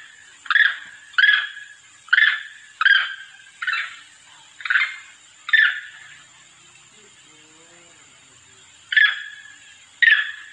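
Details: Monkey calling to its companions, played as a lure: seven coarse, raspy calls in quick succession, a pause of about three seconds, then two more calls, with a constant thin hiss underneath.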